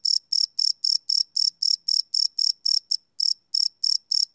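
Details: Crickets chirping at night, recorded live on a Sony PCM D100 field recorder: bright high-pitched chirps repeated about four times a second in a steady pulse, one short gap near three seconds, no other sounds.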